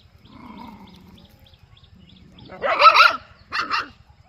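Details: Dog or puppy in a quiet village setting. A faint, low whining murmur is followed by one loud, harsh bark and a shorter second bark. A steady, fast low ticking runs underneath.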